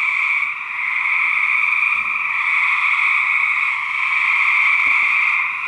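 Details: Male gray treefrogs fighting during research recordings, a steady wall of loud pulsed trilling from overlapping callers, with a couple of faint low thumps.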